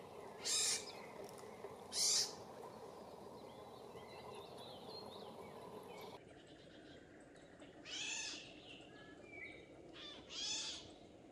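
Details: A European pine marten, one of a family with young out on an evening walk on the way to hunt, gives short, harsh, high squealing calls a few seconds apart.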